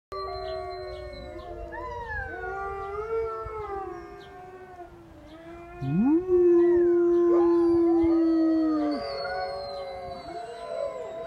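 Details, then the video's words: Siberian Huskies howl along with a person: several long, overlapping voices glide up and down in wavering tones, and one swoops sharply upward, then holds a steady note for about three seconds before the chorus fades. "Howling with the huskies"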